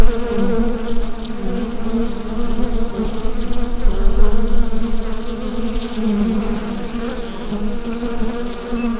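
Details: Continuous droning of bees in their hive, picked up by a Rode NT-USB microphone. The low, even buzz has layered overtones and mild rises and falls in intensity, with no other clear sounds.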